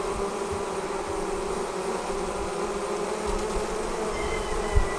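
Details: Honey bees departing the hive and gathering into a swarm make a continuous whirring drone, with brief faint higher whines late on and a soft knock at the end.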